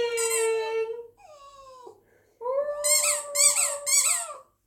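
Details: Border terrier singing along with his favourite squeaky toy: a long, steady nasal howl, a softer falling tone, then a rising and falling howl beneath three quick bursts of high toy squeaks.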